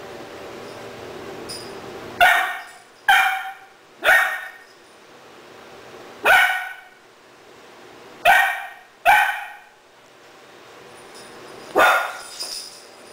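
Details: Three-month-old female Doberman puppy named Rahab, indoors in Cebu City, Philippines, October 2009, reacting to a stuffed toy puppy as if it were a real dog. Seven sharp, high single barks come at irregular intervals over about thirteen seconds, with quiet room noise between.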